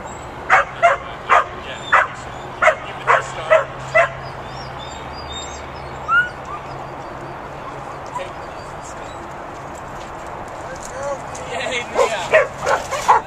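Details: Pit bull puppy herding sheep, giving a quick run of sharp, high yapping barks, about eight in four seconds, then a quiet stretch with a few faint calls, before another burst of rapid yips near the end over steady outdoor background hum.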